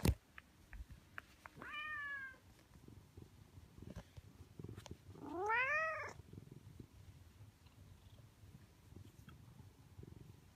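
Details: Stray orange tabby cat in a residential neighbourhood, one of two that welcome a familiar person in their territory. Two rising-then-falling meows with rich harmonics, a short one near two seconds and a longer, louder one near five and a half, over low background rumble.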